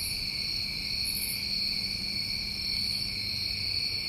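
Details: Crickets chorusing on a New England summer night, recorded outdoors: a steady, dense high-pitched trilling band with a second lower band beneath, continuous without pause, and a faint brief higher buzz near the middle.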